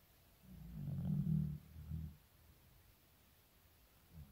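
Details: Shizukun, an aging 15-year-old Shiba Inu, sleeps and snores. A single low, throaty snore rises and falls over about a second and a half, with a short rumble at its end, and quiet follows.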